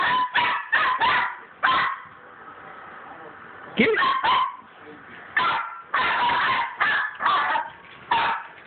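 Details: Excited pet dogs at play with a tennis ball in a hallway give quick clusters of sharp barks and yips, several in a row, then a pause and further rapid bursts toward the end.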